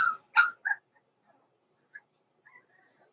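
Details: Blenheim Cavalier King Charles Spaniel puppies in an indoor pen, born November 14, 2022: three quick, high yips in the first second, followed by a few faint squeaks and near silence.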